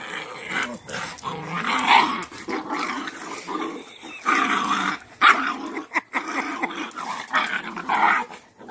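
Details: Cane Corso mother Cashmere teaching her bossy female puppy respect by holding her down; continuous rumbling growls broken into uneven snarling pulses over several seconds.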